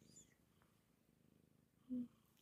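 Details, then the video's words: Pet cat snuggled in an office, purring quietly as a continuous low, throbbing rumble, while a person speaks softly to it in a brief burst near the end. "kitty cat office snuggle purr continues"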